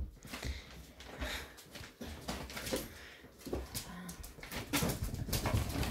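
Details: Seven-week-old English Springer Spaniel puppies playing indoors near a crate give soft whimpers and yips amid scuffling, with a person talking nearby.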